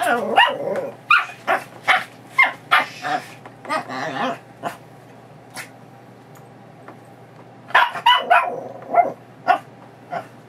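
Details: Female Chihuahua mix, a foster dog recovering from knee surgery, barking excitedly indoors as her leash goes on before a walk: rapid, irregular sharp barks and yips in bursts, a pause midway, then another volley, with a person speaking briefly.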